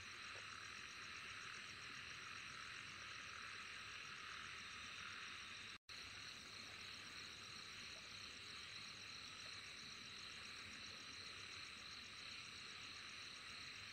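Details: Continuous shrill insect chorus, an even buzzing sheet of sound with a fast pulsing trill on top. A brief total dropout interrupts it near the middle before the chorus returns.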